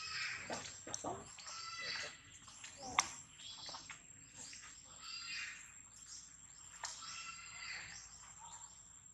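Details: Baby monkey separated from its mother, crying loudly to call her: shrill, squealing cries in uneven bursts, with rustling and clattering knocks in the background.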